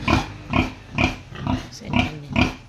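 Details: Sow about to farrow, showing a sign of imminent birth: six deep, resonant grunts in a steady rhythm roughly every half second, each short and nasal, with a faint squeak near the end.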